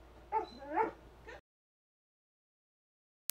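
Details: Charlie, a two-year-old Old English Sheepdog taught to "talk", answering an indoor request to say "chicken" with a short, tonal, wavering two-part vocalization that rises and falls, then stops abruptly into silence.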